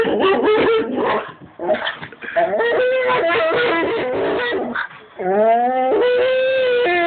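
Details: A dog making whining, yodel-like vocal sounds: bursts of short wavering notes, then a longer rising whine that levels into a sustained moaning tone near the end, with brief quiet gaps between phrases.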